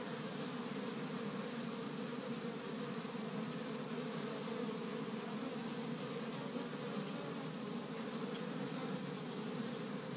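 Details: Honey bees busy around an established hive in Michigan on the first warm spring day, gathering pollen from tree buds; constant, rough, low buzzing mass of many insects, unchanging for ten seconds.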